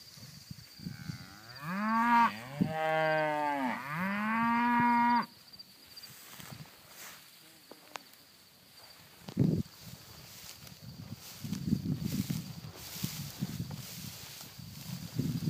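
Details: Hereford heifers in Oklahoma; one long, loud, drawn-out moo rising and falling over about three seconds, followed by quiet field background with faint rustling and low distant lowing.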